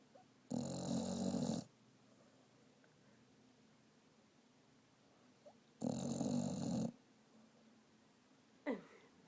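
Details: Vizsla dog snoring while asleep and dreaming, indoors: two long, rough, rasping snores about five seconds apart, each lasting about a second, followed by a short faint sound at the end.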